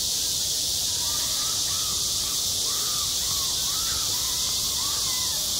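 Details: Cicadas singing in high summer at a school playground: a dense, unbroken high-pitched buzz that fills the air, with faint arching tonal calls repeating softly beneath it.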